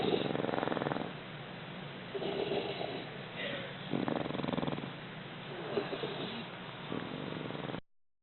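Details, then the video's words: English Bulldog puppies, two of them, asleep at nap time, give a near-continuous rattling snore with fluttering, purr-like pulses that swell and fade, then the sound stops abruptly. "English Bulldog Puppies Snoring"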